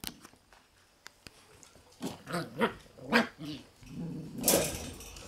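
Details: Black Shiba Inu puppy brothers born on January 30 give low growling grunts and small barks, rising in a few bursts over the second half, with soft rustling before.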